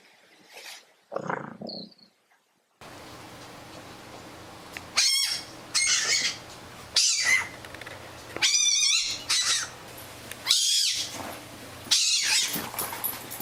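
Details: A pet fennec fox gives shrill, squeaky bursts, repeated about every one and a half seconds over a steady hiss.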